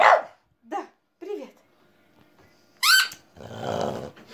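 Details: A female French Bulldog sings along to a pipe played by her owner, throwing her head back and giving short, harmonic yelping barks.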